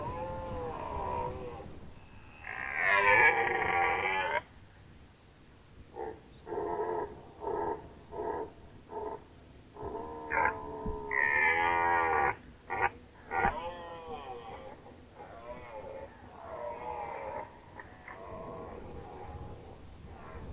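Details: Red deer rut, Nationalpark Unteres Odertal, 2019. A long, loud, wavering bellow leads into a string of about six short, regular grunts, then more drawn-out moaning roars and scattered coughing grunts across twenty seconds.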